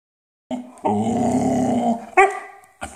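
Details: Boxador, a dog, at the dinner table, asked to "say mama", gives a drawn-out, moaning, voice-like howl lasting over a second, then two shorter rising yelps, with household room sound.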